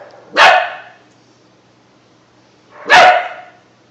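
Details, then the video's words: A two-month-old German Shepherd mix puppy named Bunk tries out his new bark: two sharp, bright barks about two and a half seconds apart in a quiet room. "Bunk getting used to his bark"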